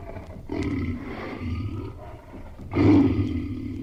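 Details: Tiger giving low, growling roars: a moderate rumbling stretch, then one louder, harsher roar near the end over steady low rumbling.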